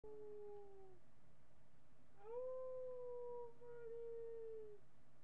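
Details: Miniature pinscher dog howling indoors, captured by webcam on July 8, 2011 in the morning: a short falling tone, then a longer, steady, slightly wavering howl lasting about three seconds, with faint hum in the background.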